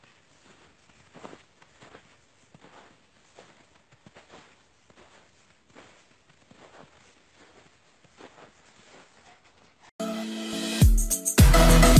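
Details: Soft scattered footsteps and shuffling in near silence, ending in a sudden loud burst of noise, with no animal voice.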